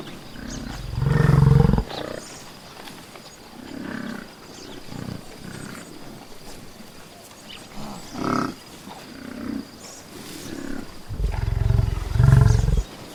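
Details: Buffalo in a natural setting: a loud, low, throaty bellow opens, then quieter grunts and short low calls scattered through the middle, and another strong deep bellow near the end.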